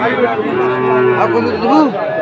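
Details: Sahiwal bull calf at a Chattogram cattle market, 22 October, giving a drawn-out harmonic moo that rises and falls over about a second, with traders' voices underneath.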